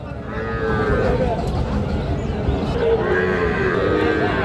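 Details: Sahiwal bull calves at the Raniganj cattle market, recorded on 25 June 2026. Low drawn-out moos sound twice against a steady din of market crowd noise and voices.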